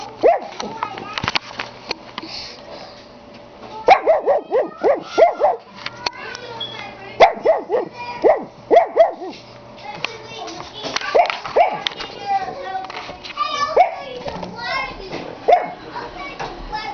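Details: A dog that loves to bark gives repeated yelping, howl-like barks in rapid clusters of three to five, pausing between bursts, with some human speech mixed in.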